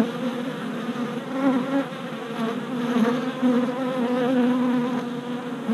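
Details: Dense drone of worker honey bees circling a newly installed hive on orientation flights in late April 2017, captured with a GoPro Hero Session 5; many overlapping wingbeat hums with wavering, sliding pitch, loudness rising and dipping steadily.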